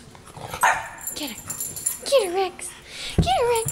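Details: Young French bulldog wanting someone to play with, giving high bending whines and short yips that fall and rise, mixed with a person talking nearby.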